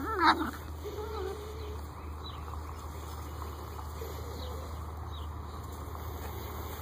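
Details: Eight-week-old Great Dane puppies give one sharp, high yelp breaking into a thin whine, then faint, wavering whimpers over a constant low mechanical hum.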